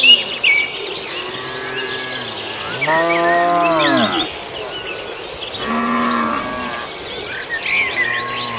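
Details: Grazing herd of cattle in a farmer's rice field; two or three moderately loud moos with long pauses between, over constant background chirping from birds and insects.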